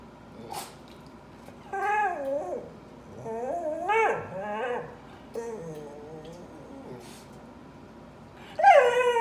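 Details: Dog crying indoors: several separate whimpering whines, each a wavering, falling tone with a nasal edge, the loudest coming in a short burst near the end, with quiet pauses between them.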